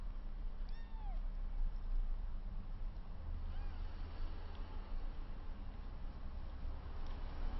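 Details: Rescued kitten, 22 days old and found with its placenta still attached, playing with two littermates for the first time; one short high mew slides downward, then a fainter mew follows, over a steady low rumbling hum.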